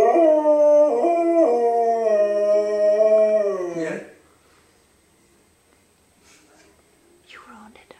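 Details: Pet dog howling with a tornado siren: one long, sustained, tonal howl with small step-like pitch shifts and a gentle downward slide, ending near four seconds, followed by near silence with faint soft sounds.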